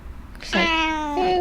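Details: Black pet cat, indoors, meowing with delight at cat grass after several days without it: a single clear, drawn-out meow, steady then slightly falling, with rustling before it.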